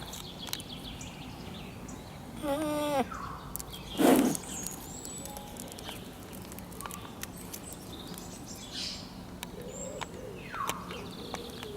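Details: A Rocky Mountain goat (Oreamnos americanus) gives a short, nasal, falling whine, with faint bird chirps and outdoor noise behind.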